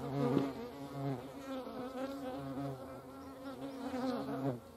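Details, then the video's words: Hornets at a feeding place in the Eifel region of Germany, heard as a continuous low buzzing drone with rich overtones, slightly wavering in pitch, with a few soft clicks and knocks in the background. "Hornissen am Futterplatz. hornets at food."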